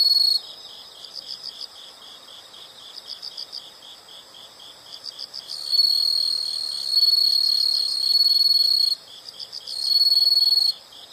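High-pitched insect calls fill the air, first as soft rhythmic pulses repeating several times a second. A louder, continuous shrill buzz then joins in bursts, stopping and starting over the pulsing background.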